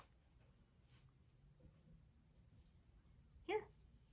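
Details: A guinea pig "talking" in its indoor cage gives one short, bright squeak against a quiet room while a skittish four-month-old companion is handled outside the cage.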